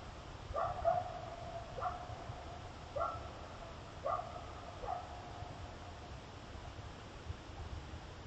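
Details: Coyotes barking on a trail camera at the same time a cougar was caught on camera: a few short, sharp barks at irregular intervals over a steady background hiss.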